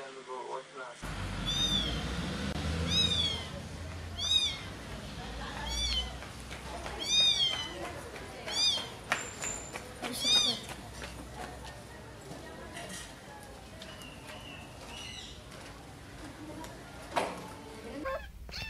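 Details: Kitten calls in a compilation of a mother cat carrying her babies: a run of thin, high, arching mews repeated roughly every second or two, fading after ten seconds into background hiss and soft knocks; a voice speaks near the end.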